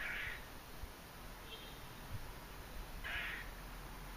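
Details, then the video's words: A squirrel in Margate, New Jersey, vocalizing on October 28, 2012, the day ahead of Hurricane Sandy; two rough, scratchy chirps about three seconds apart and a fainter squeak between them over steady hiss. "Squirrel making weird noises"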